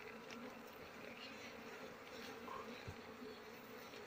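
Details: Many honey bees humming during the flowering season that brings the honey harvest, tended by beekeepers: a continuous buzzy drone, even in loudness, with a brief rising whine near the end and a soft knock.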